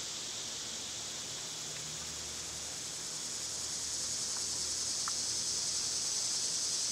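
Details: Cicadas singing in summer, a high continuous buzz that swells louder in the second half, with a few faint short ticks or chirps scattered near the middle.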